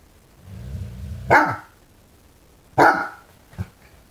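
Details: Fawnaquin Great Dane puppy, five months old, reacting to a new candlestick in the window: a low growl leading into two loud barks, then a short softer woof.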